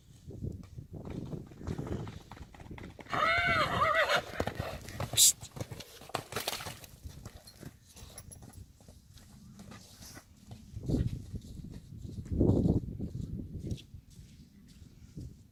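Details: Three-year-old Friesian colt playing outside gives a short wavering, quavering neigh of about a second amid thudding hoofbeats, snorts and rustling, with faint voices in the background.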